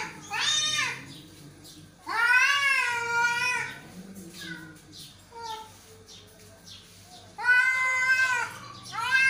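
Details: Angry, aggressive cat during a fight: long, drawn-out wavering yowls that rise and fall, in three loud bouts with quieter moaning calls between them, indoors.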